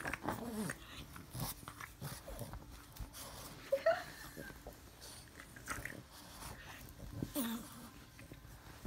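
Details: A Boston Terrier puppy snorts, huffs and gives a short high whine in a burst of excitement when its owner hides her face, eager to lick faces.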